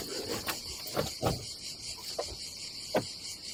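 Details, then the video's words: Constant high cicada drone at a Croatian campsite above the sea in summer, accompanied by several hollow knocks and taps spaced irregularly about a second apart. "Silent ASMR vlog with nature cicadas sound"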